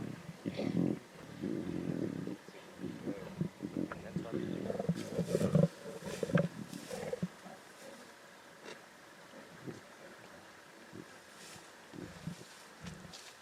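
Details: Snarls and deep growls from lion cubs feeding at a zebra carcass, Timbavati. Harsh bursts crowd the first half, then fade into quieter, scattered grumbles, with some human speech in the background.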